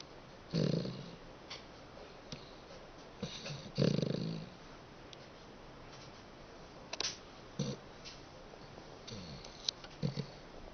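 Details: Sleeping dachshund snoring indoors in a small room: low rough breathy snores at irregular intervals, two strong bursts near the start followed by shorter snuffles and sniffs.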